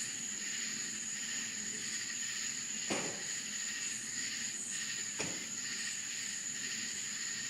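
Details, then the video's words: Rural Florida crickets at night sustain a high, ringing trill and pulsing buzz, interrupted twice by short sharp clicks near three and five seconds. "Country Crickets Sounds Night Time in Florida"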